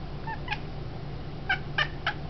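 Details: A female domestic cat makes odd sounds, seemingly in frustration, while reaching for a feather-on-a-stick toy held too high: five short, bright chirping bursts, one tight cluster of three near the end, over a low room hum.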